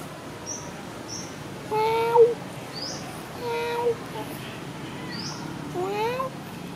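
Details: Sona, a happy, friendly cat, meows three times after food, each call brief with a slight upward bend at the end; soft high chirps can be heard between them.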